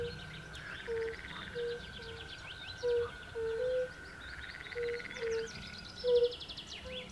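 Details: Fire-bellied toads (Bombina bombina) at a woodland pond give short, soft, hooting notes at irregular intervals, some quieter and distant, while birds sing trills and a steady high whistle runs behind.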